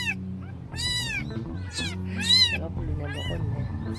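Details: Stray cat that turned up during the night, resembling a missing yard cat: repeated high, arched meows with bright overtones, spaced roughly every half second to second, with soft background music and low hum.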